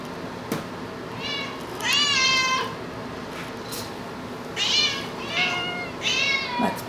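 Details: A female pet cat chats indoors in a run of five meows over seven seconds, each brief and rising then falling, with soft taps and faint human speech between calls.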